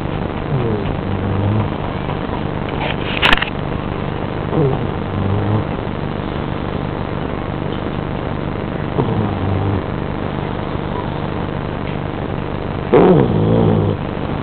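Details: Dog named Wilson snoring while asleep in a dark room: rough, rasping breaths with falling tones recur about every four seconds over a steady low hum.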